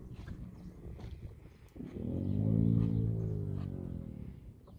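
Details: A deep, buzzing groan from a camel swells in the middle of the clip and fades again, its rich low tones held for about two and a half seconds over a rumbling outdoor background.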